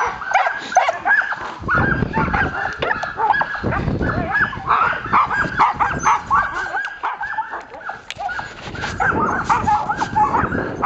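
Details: Several Samoyeds in a carting team barking and yipping eagerly at the start of a long winter dryland run, cold and windy; dense overlapping high barks and whines, a man's voice and wind rumble underneath.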